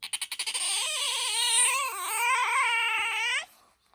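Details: Bingo, a pet otter whose voice is higher than aquarium otters', gives a quick run of clipped chirps, then one sustained shrill squeal of about three seconds that wobbles slightly in pitch before cutting off.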